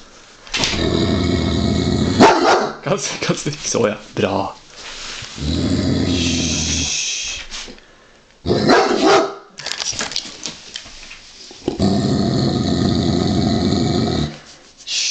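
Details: Giant Schnauzer, a large male dog, growling at a wooden toy sheep covered in real sheepskin; long low rumbling growls in several bursts, with a person speaking softly between them.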